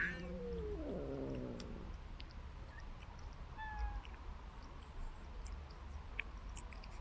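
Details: Domestic cat being fed treats from a remote-controlled car; one drawn-out, falling meow with clear harmonics fills the first two seconds, followed by steady low rumbling background noise and a few faint clicks.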